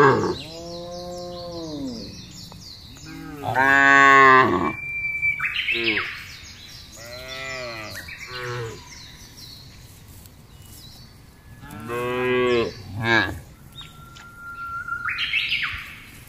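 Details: A large herd of cattle being driven across a wide green pasture, moving calmly. Several deep, drawn-out moos with rich harmonics, some rising then falling, come from different animals, with bird chirps and twittering between them.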